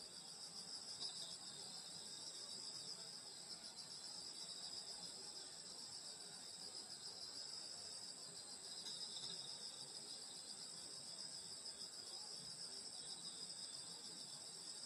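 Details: Rural Korean summer night, insects chirping around a grandmother's house: a thick wall of high-pitched trills holding steady across fifteen seconds, faintly wavering in places, over quiet low-frequency noise.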